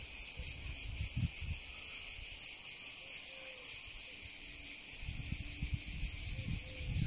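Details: Cicada song: a steady, unbroken high-pitched buzzing hiss that holds evenly throughout, with some low rumbling noise underneath and a few faint short tonal notes.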